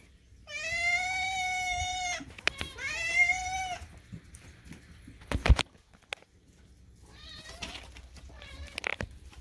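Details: Kitten rudely screaming for food while its sister stays quiet, indoor feeding time with pet cats Daisy and Moo; two long loud meows in quick succession, sharp knocks, then fainter rising meows near the end.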